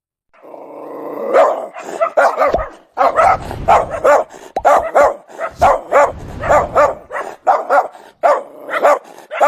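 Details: Domestic dog barking in rapid, uneven volleys of short sharp barks, often in pairs and triplets, after a brief opening whine, with a few low thumping sounds in between.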